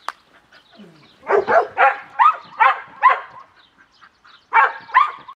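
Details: Cimarron Uruguayo, a kennel dog trained to perform tricks on hand signals, barking in quick rhythmic yelps, a faint whimper first, then a run of six loud barks, a pause, and two final barks.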